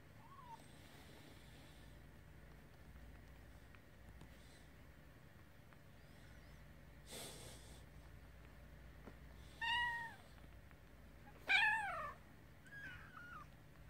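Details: Kittens at the nurse let out a few meows, a faint one at first, then two louder, quavering cries close together near the end, with a soft thump and quiet room background.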